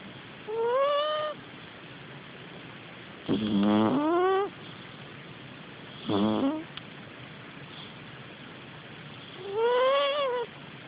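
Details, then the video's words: Sleeping pet cat Puffel snoring: four whistling, nasal breaths, each lasting about a second and rising in pitch, arriving every two to three seconds over a quiet room hiss. "Puffel the snoring cat"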